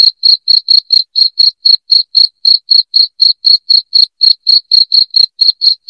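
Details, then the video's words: To chase rats from the home, a cricket sounds loudly. Its high, clipped chirps repeat at a brisk, even four per second and continue without pause against silence. "SUARA JANGKRIK NYARING PENGUSIR TIKUS"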